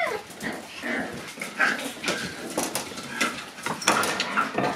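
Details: Several Shiba Inu dogs romping wildly after arriving at a dog daycare; short high whines and yelps sound over constant scuffling, clattering and thumping from the rough play.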